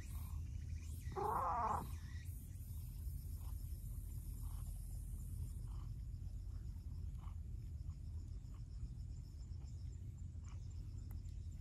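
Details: Outdoor stray cat, one of a clingy brown tabby and a mild-tempered orange-and-white cat: a single short, bright meow just after the first second, then steady low rumble and faint scattered clicks.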